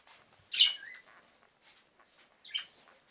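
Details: Labrador Retriever puppies aged ten days, born to Tori: two short, high squeaking whimpers about two seconds apart, the first sliding downward, with faint rustling between.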